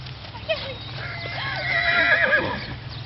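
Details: Kaimanawa horse during a riding lesson with two Kaimanawas being ridden: a quavering, wavering whinny of about one and a half seconds that rises and then trails off, over low rumbling background noise.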